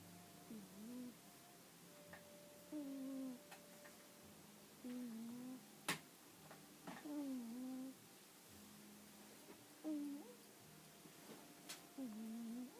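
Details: Exotic Shorthair cat Jiji, a shop's mascot cat, asleep and snoring in a small room: steady rhythm of humming, slightly whistled breaths, each curving down and flattening, roughly every two seconds, with a few soft clicks.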